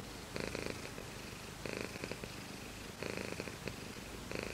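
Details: Cat purr in slow, even cycles: a rasping burst, then a softer rumbling phase, repeating about every one and a half seconds in a quiet setting.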